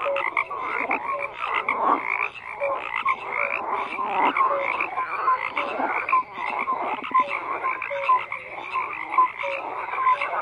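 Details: Continuous frog chorus of overlapping croaks, rattles and short clear notes from numerous callers, steady in loudness throughout.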